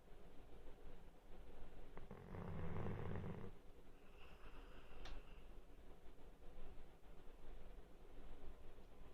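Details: Sleeping Labrador Retriever named Rukura snoring indoors: one rough, low, breathy snore swells and fades over about a second and a half, followed by softer rumbling breaths, with a brief thin high tone partway through.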